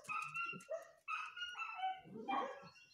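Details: Two small Bichon dogs, with pigeons nearby, give high, tonal yapping barks and whiny yelps in quick bursts, several in three seconds, with some background noise.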